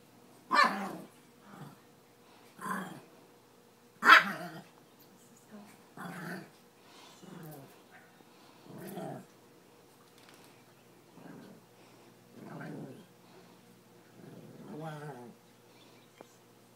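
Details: Two playful pet dogs, a chihuahua and a Pekingese, fresh from a swim: sharp high yaps at the start mixed with low throaty growls, then softer grumbling growls repeating irregularly for the rest of the stretch.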